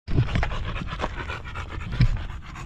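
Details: Golden Retriever named Buding, a dog that takes care of her master, panting in short breathy bursts with a couple of louder huffs near the start and around two seconds.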